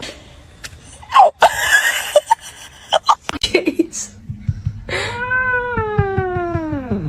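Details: After clattering and brief voices, a cat lets out a long, drawn-out yowling meow, held steady for about two seconds before sliding down in pitch at the end.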